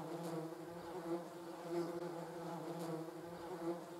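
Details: Vespula germanica, the German wasp or yellow jacket, recorded on a Sony RX10 III camera: a continuous, even buzzing drone with layered harmonic tones, pulsing gently in loudness throughout.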